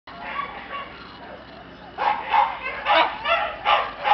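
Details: Red Shiba Inu male puppy from a breeder; faint whining in the first two seconds, then a run of short nasal yips about every third of a second.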